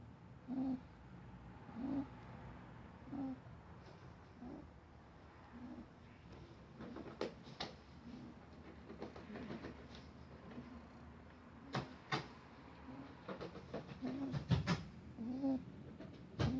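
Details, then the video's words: Sleeping pet rabbit named Dougal, snoring though happy and healthy: soft low nasal snores recur steadily every second or so, later mixed with rustling and sharp clicking noises as he shifts. "Snoring rabbit"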